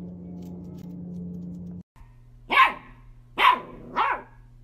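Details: Playful miniature dachshund giving three quick, high barks in a row, each a brief sharp burst, after a steady low hum fades out.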